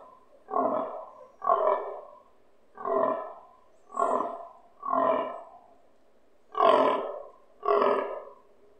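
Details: Fallow stag in rut season grunting nearby, heard from a balcony; seven gruff, throaty grunts spaced roughly one second apart, each a short guttural belch, in an otherwise quiet setting.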